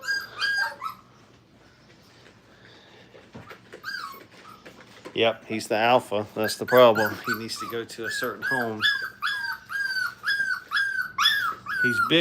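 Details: Five-week-old Brittany puppies playing at a training kennel give high, thin whimpering whines in short repeated bursts, with a human voice talking through the middle.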